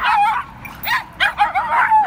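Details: Dogs in a scuffle, an Eskimo dog against a toy poodle: a run of high, sharp yelps and whines, several quick bursts with short gaps, shrill and falling at the ends.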